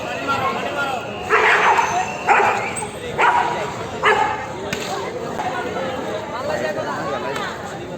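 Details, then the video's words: Barking dogs in a fight give four loud, rough barks about one second apart, then quieter wavering, whine-like or voice-like sounds over a steady noisy background. "Dogs Barking | Dog Fight"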